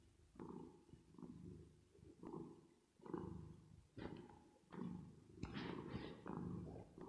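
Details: Purring of a cat at rest or asleep, reverb added. Low throbbing rumble rises and falls with each breath about once a second, the later cycles carrying a brief brighter rasp.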